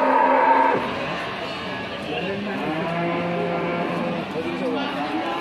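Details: Cattle at the Pasar Wage livestock market in Margorejo, Pati, Central Java, being checked for price before shipment to Cirebon; a long, low, drawn-out moo with steady harmonics, amid market voices and chatter.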